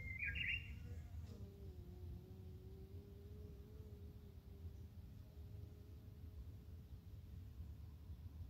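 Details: A Japanese honey bee (Apis cerana) hums with a steady, low, even wing buzz after a brief bird chirp, recorded early morning on 12 April 2021 in Japan, while plum blossoms are near their peak.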